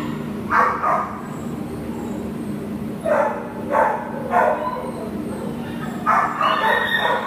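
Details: American Pit Bull Terrier named Nala, up for adoption, filmed 10/1/2015, giving short separate barks: one early burst, then a cluster of three, then a final pair, with quiet stretches of low hum between them.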